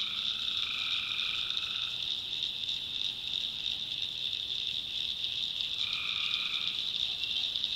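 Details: Tree frogs at night in swampy North Carolina backwoods: dense high ringing chorus, with one longer lower buzzy note at the start and another near the end.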